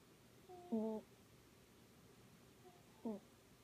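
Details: Scottish Fold cat Miss Sophie snores in her sleep: two brief nasal whistling breaths about two seconds apart, the first stronger and flat-pitched, the second shorter and slightly falling, in a quiet room.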